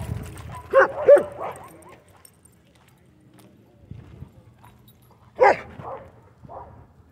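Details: Dogs at a dog park, a tug over a rope; two sharp barks near the start, then a quiet gap and another bark burst with softer yips around five to six and a half seconds.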